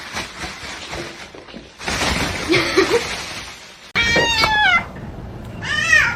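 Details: Pet cat with two short meows near the end, the first wavering then falling, the second arching up and down, over steady background noise and rustling.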